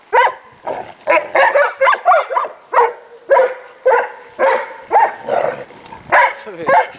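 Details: Playful wrestling among a group of Leonbergers including Emma, Kramer, Arnie and Heidi: steady, rapid barking and grumbling growls, close to two per second, rough and throaty throughout.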